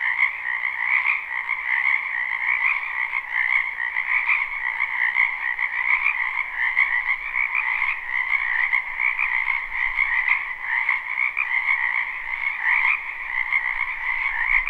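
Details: Spring wetland frogs in a live, unlooped recording: an unbroken chorus of croaking, many callers overlapping in a shimmering, pulsing drone with two stacked pitch bands, loudness gently rising and falling.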